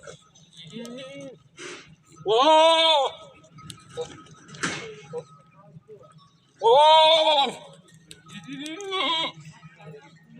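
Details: Domestic goats in a village setting, a buck chasing a doe: two loud, drawn-out harmonic bleats about four seconds apart, with shorter, softer bleats between them and people's voices and exclamations in the background.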